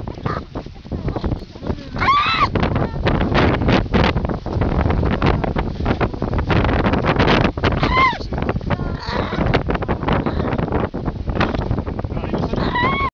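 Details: Baby seal in Canada giving three short, bent, harmonic squeals, each arching up then down, spaced about five to six seconds apart, beneath steady wind and people talking nearby.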